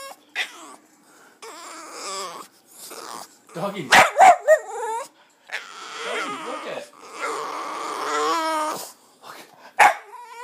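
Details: Female pet Boston Terrier Jazmine reacting to another dog with a string of whimpers and squeaky, bending whines, some short and some drawn out, alongside a person's voice.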